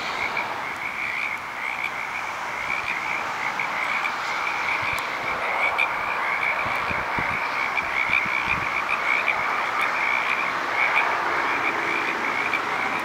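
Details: Frog chorus from Petaluma: a dense, continuous wall of overlapping croaks and trills forming a steady band, with many callers blending together and a faint vehicle hum in the background.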